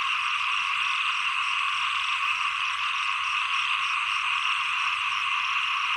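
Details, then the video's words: Late rainy season into early cold season, many small frogs croak at once in a constant shimmering chorus, steady in loudness from start to finish, faint high ticks layered above. "เสียงเขียด 1 ปลายฝน ต้นหนาว"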